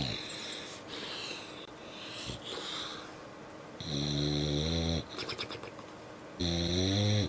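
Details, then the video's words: Dog snoring indoors, quiet breathing noise giving way to loud droning snores with a strong buzzy, harmonic tone, lasting about a second each and returning after short pauses. "Funny Dogs Snoring"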